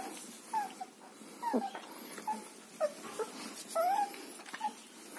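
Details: Several brief, high-pitched whines from German Shepherd puppies in Chennai, each a short sliding squeak, spaced irregularly with soft background hiss.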